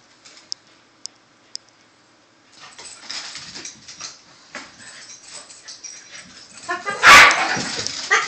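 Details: Two dogs, a corgi and a shih tzu, playing together; soft scattered yips and whimpers, then a sharp loud yelp-like burst near the end, with faint clicks at the start.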